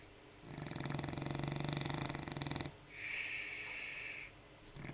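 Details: French Bulldog snoring: a rattling, vibrating inhale lasting about two seconds, then a softer breathy exhale, with a quiet pause between breaths.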